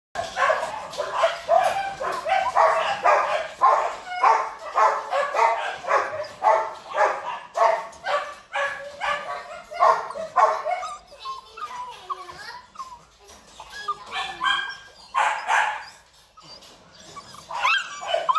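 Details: Pack of purebred large-line Rottweilers at a breeding kennel barking in a steady run of deep, hoarse barks, roughly two per second, fading into lower, irregular barks and whines toward the end.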